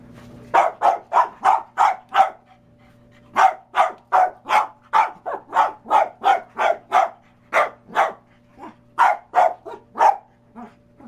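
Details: A pet dog barking at a bowling ball, which it hates: rapid, sharp, evenly spaced barks, a short run, a pause of about a second, then a long unbroken string of about three per second, over a low steady hum.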